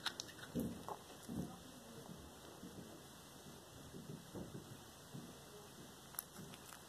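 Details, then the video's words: Black tabby cat named Cracker eating a whole small rat indoors, filmed 13 February 2022: wet crunching bites and irregular chewing, with two loud bites in the first seconds, then softer gnawing and smacking in a quiet small room. "Black Tabby Cat enjoying Whole Prey | Cracker Devours Small Rat"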